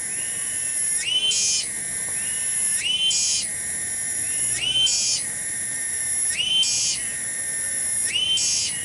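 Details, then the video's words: One cicada, called tonggeret, sings in a garden in Kampung Bunder, Desa Cibening. Its shrill, steady, metallic whine pulses into a sharper, higher surge about every 1.7 seconds, in a regular rhythm, with no other notable sounds. "SORA TONGGERET DI KEBON"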